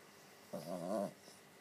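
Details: Persistent pet dog trying to wake its owner indoors: one low, rumbling growl-like vocalisation about half a second long, wavering with strong stacked harmonics, in a quiet small room.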